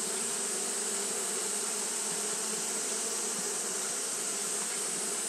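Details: Japanese honey bees fanning without pause on a hot day: a dense, steady low hum with a rich overtone layer, unbroken throughout, over a constant bright high-pitched hiss.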